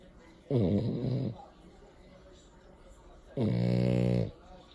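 A French Bulldog snores in two long, rumbling, harmonic breaths separated by a quiet pause.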